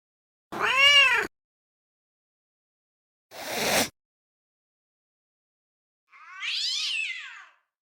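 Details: Domestic cat sounding angry, three separate short outbursts about three seconds apart: a loud harmonic meow, a noisy hiss-like burst, then a higher wavering yowl.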